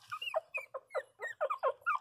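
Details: Small pinscher dog licking its nose, giving a run of about nine short, squeaky, high whining yelps, each bending up and down in pitch, spaced roughly every quarter second in an otherwise quiet room.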